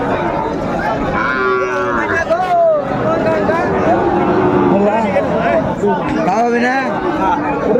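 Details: Sahiwal bulls for sale at a Bangladeshi market in Comilla, 26 December 2024: repeated wavering, bending moos from several cattle rise and fall over continuous crowd noise and talk.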